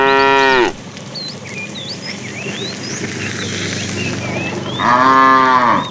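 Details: Fat cow among a tame herd driven in the afternoon, calling the female: a short strong moo at the start and another at the end, with birds twittering steadily in between.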